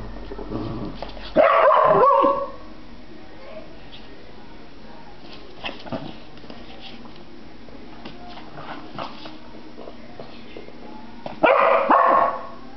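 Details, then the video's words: Dog barking indoors: two bursts of loud, rough barking about ten seconds apart, each lasting around a second, with quiet background noise and faint voices between them. "Midna WUOUF"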